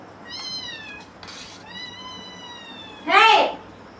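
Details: Pet kittens at home giving two thin, steady mews, the second long and level. A sharp, louder meow follows at the end, plus a brief noise burst between the calls and faint music in a small room.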